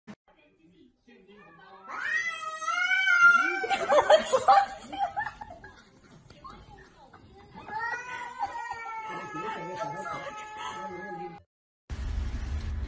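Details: Cat giving long, drawn-out harmonic meows and wails, one rising and wavering early on, then a steadier sustained yowl later, with human voices underneath and a sudden burst of noise at the very end.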